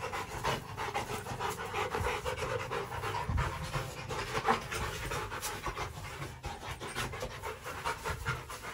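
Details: Kennelled Rottweiler panting hard, rapid rhythmic breaths following one after another for the whole stretch over a faint low hum.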